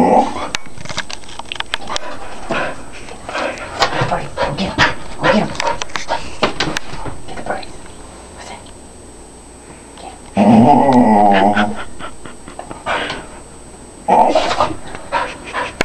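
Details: Pet dog growling at birds on a bird feeder: a harsh, buzzy growl lasting over a second and a shorter one later, after a stretch of clattering knocks and low voices.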